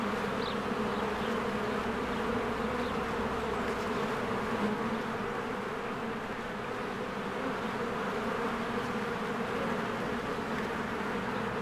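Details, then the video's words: At a hive in spring, with trees greening and bees flying in and out, a steady mass of wingbeats hums low and constant, with a slight swell near the middle and a faint high chirp early on. "1 Hour of a Beehive ASMR | A Spring Nature Ambience Sounds"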